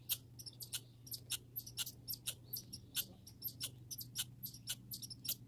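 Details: Backyard grey and red squirrels calling with sharp, high squeaks and ticking chips, delivered in quick uneven clusters throughout, a faint low droning hum underneath.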